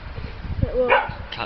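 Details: Pet dog named Peppie, scared of a little cat, gives a brief high whine with bright harmonics that rises and then falls, followed by a shorter yip, over low indoor rumble and a person talking nearby.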